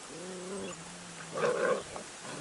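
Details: Airedale Terrier puppies from a litter, recorded indoors while a storm blows outside. A low, drawn-out whining tone holds steady for just over a second, followed by a short, rougher, growly burst.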